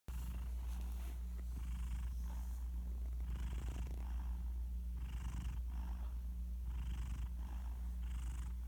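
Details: Garfield, a pet cat, sleeps deeply beside his owner, recorded on a phone; soft, breathy snores rather than full snoring, each a hushed rasp recurring roughly every one to two seconds over a steady low hum.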